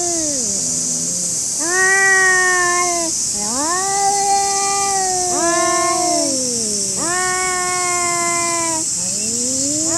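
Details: Stray cats squaring off in a Japanese park, yowling almost without pause: long, rich, moaning howls that swell upward then sag, five drawn-out cries in a row, with constant shrill insect buzzing behind.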